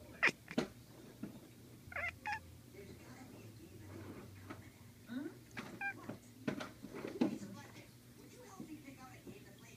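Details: Domestic cat chirping indoors: brief, sharp chirps scattered across several seconds, each one quick and high. Voices talk throughout in a small room.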